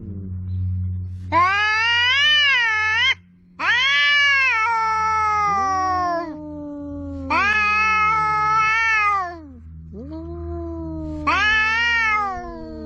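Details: Two cats, one orange, fighting verbally by the sea trade four loud, wavering yowls separated by short pauses, voices sometimes overlapping in sliding, descending wails, over a steady low rumble.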